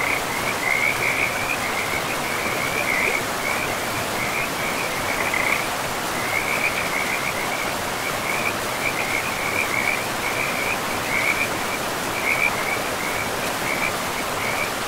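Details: Forest river frogs in moss-covered woodland give high, rattling croak bursts in a loose series, roughly one every second or so, with short gaps, all over a continuous hiss of flowing river water.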